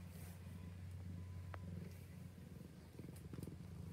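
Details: Cat purring: a steady low rumbling drone that pulses softly, with faint clicks and light rustles toward the end.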